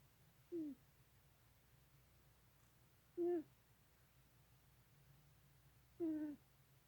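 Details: Novinha, a small female Florida cat, snoring quietly while asleep: three brief, soft squeaky snerks, each dropping in pitch, spaced about three seconds apart over a faint steady hum.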